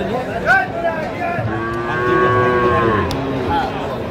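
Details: Sahiwal bull calves at a cattle market in Faridpur, Bangladesh, on 11 March 2025; a drawn-out, steady moo of about one and a half seconds, with a shorter rising call just before it, over crowd chatter and background music.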